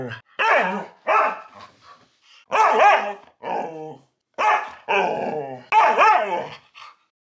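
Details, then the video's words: Siberian Husky talking back to its owner: about eight drawn-out, wavering, yodel-like howls with rich harmonics, each near half a second long, separated by brief pauses, close and clear with a quiet background. "I have full-blown conversations with my husky! (He talks back!)"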